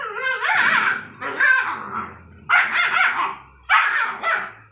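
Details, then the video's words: Rottweiler and Pug at play: four bursts of high, wavering whines and yelping squeals, each about half a second to a second long, with brief quiet gaps between them. "ROTTWEILER & PUG are playing together"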